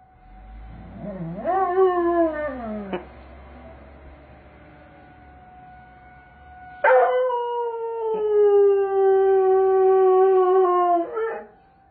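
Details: Doberman Pinscher answering the tornado siren sounded on the first Saturday of the month: a rising, arching howl, a pause with a faint steady siren tone, then a long sustained howl held for about four seconds.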